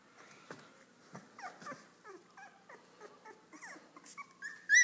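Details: Ten three-week-old Airedale Terrier puppies at play while their mother watches; a run of short, high, squeaky whimpers and yelps, some sliding upward, with a sharper squeal at the very end.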